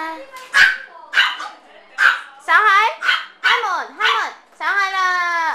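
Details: AKC micro teacup poodles, several tiny dogs from an Alabama bloodline now living in Hong Kong: a run of sharp, high yapping barks, then drawn-out wavering whining yelps near the end.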